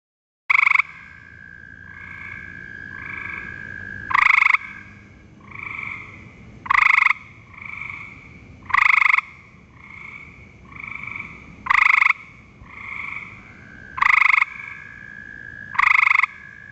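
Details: Gray treefrog (Hyla versicolor) calling from a cottonwood at a vernal pool in Ohio: loud, short, musical trills every two to three seconds over a frog chorus.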